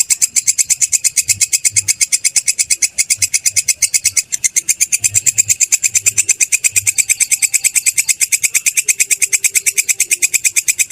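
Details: Grasshopper known locally as belalang kecek or kerik, used as masteran for training birds, chirping in a fast, insistent series of shrill scraping pulses that barely pause, with a soft low hum underneath.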